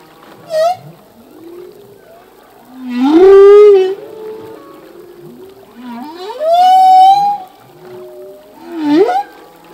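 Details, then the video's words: Male humpback whale singing, part of a full-length song whose phrases change each year: rising, upswept moaning cries with rich harmonics, three loud swelling phrases about every three seconds between fainter low groans, no other sounds. "Whale song - full length humpback whale song"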